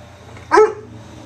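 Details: Weimaraner dog barking after being ignored: one sharp, loud, harmonic bark lasting about a quarter second, with a steady faint background hum and no other sounds.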